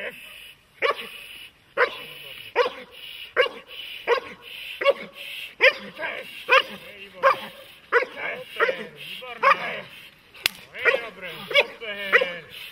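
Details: Dog, shown as a German Shepherd or Malinois, barking in protection training: loud, sharp barks repeated roughly every second across the stretch, with voices in between.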